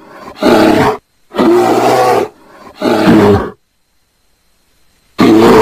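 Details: Deep rasping roars from a mating bear, three bursts close together, each about a second long, followed by a pause and a fourth roar starting.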